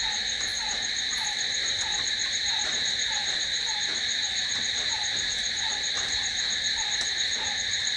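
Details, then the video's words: Crickets calling at night, a continuous shrill ringing drone with bright high bands, and faint downward-sliding chirps recurring about twice per second in the background. "Cricket sound🦗🦗🦗to sleep... Try it.... Night's in hands of cricket"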